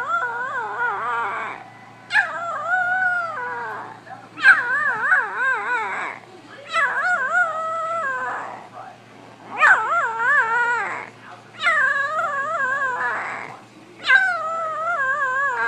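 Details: Puppies learning to howl, several young dogs giving wavering, rising and falling howls with rich harmonics, each lasting one to two seconds in repeated bouts, with brief gaps and faint voices between them.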